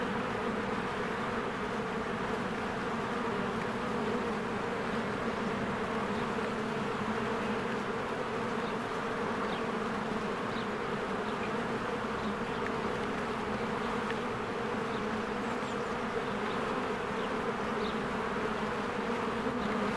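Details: Busy honeybees at their hive in spring, with trees greening and flowers in bloom. A constant, rich, low droning hum holds steady for the full stretch, and scattered faint high bird chirps come through in the second half.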